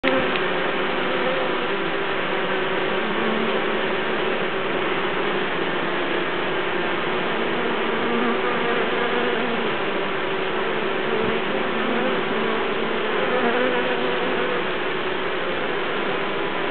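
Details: Honey bees fanning to air-condition and cool their hive while releasing Nasonov scent, a loud, dense, continuous droning buzz of many wings, steady in pitch and volume throughout, with no other clear sounds.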